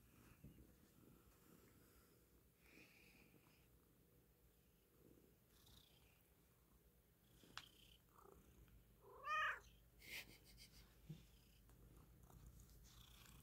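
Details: Jambalaya the cat purrs while settled comfortably in a cave of pillows and blankets indoors: a soft, low, steady rumble, with a brief harmonic chirp near the middle and faint rustling.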